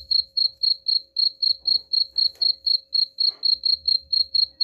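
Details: Steady cricket chirping for repelling rats, bright high pulses roughly four per second, interrupted by a few faint crackles and a low rumbling background.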